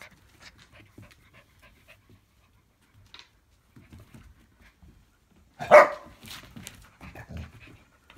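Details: A Siberian Husky puppy named Loki, a 3-month-old rescue, tries to get Lightning, a much older black Lab, to play fight indoors. Quiet shuffling and breaths lead to one sudden loud gruff bark-growl near the end, then low grumbles.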